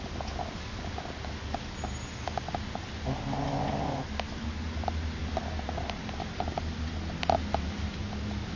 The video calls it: Shih tzu snoring